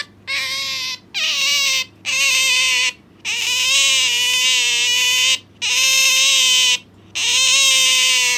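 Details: A pet Asian small-clawed otter hanging onto its owner makes a noisy series of loud, shrill, wavering whines, some dipping then rising in pitch, each about one to two seconds long with brief breaks between calls.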